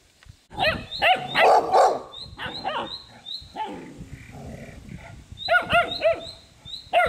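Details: A two-month-old Polish Tatra Sheepdog puppy gives a string of sharp, high yelping barks in quick bursts, some shrill and squealing, with brief pauses between groups and a quieter stretch midway.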